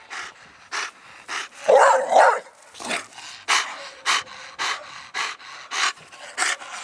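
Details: Mastiff-type dogs, English bulldog, bull terrier and American bully, panting in quick, regular breathy bursts about twice a second, with a louder rough huff in the middle.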